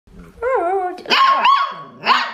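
A Siberian Husky puppy gives three high, wavering barks, each bending up and down in pitch.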